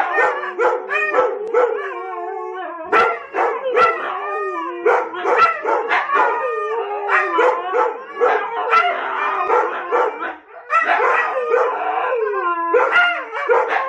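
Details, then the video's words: Huskies howling as a group after Domi's growl and bark set them off: steady mix of long wavering howls, yips and short barks from many dogs at once. "How Domi gets the huskies to howl"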